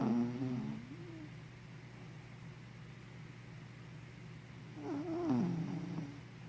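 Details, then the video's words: Henna, a sleepy puppy, gives wheezy, tonal snores. One trails off at the start, then a louder one rises and falls near the end. Steady low room hum sits between them. "Snoring Sleepy Puppy"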